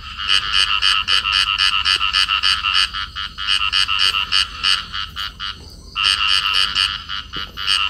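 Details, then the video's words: Field frog pair in amplexus. A long, nearly continuous series of rasping, nasal croaks repeats about three to four times per second. It breaks briefly once before resuming, over a steady low background hum. "cặp nhái đồng ôm nhau kêu"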